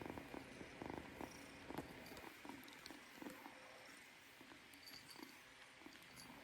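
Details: Purring kitten, a soft rhythmic rumble pulsing about once a second with breathy bursts, over a faint steady background hum.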